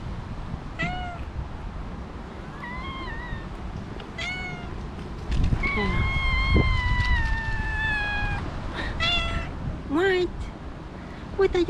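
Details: Cat meows around a mother cat that suddenly attacked her two kittens. Six or seven short rising-falling meows come at irregular intervals, one long falling meow in the middle. A person talks softly between them.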